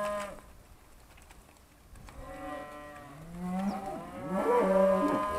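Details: Charolais cows, trained and called by their owner in 2017, answer with a low moo that rises and swells near the end, harmonics stacked above; a man's calling voice is heard just before.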